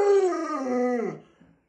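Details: Pet Alaskan Malamute Luoluo lets out one rich, harmonic howling whine that begins high and glides steadily downward, dying away after about a second.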